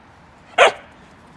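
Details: Single short bark from a young female Akita dog, red-coated, about one year ten months old, playing with a plate instead of patrolling; one sharp burst over a quiet background, followed by a brief murmur.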